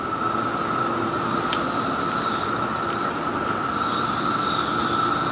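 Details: Three types of cicadas call at once at a house in Maryland: an unbroken whining drone under harsher hissing buzzes that rise and fall, some like lawn equipment, others eerie, warbling and sci-fi like spaceships.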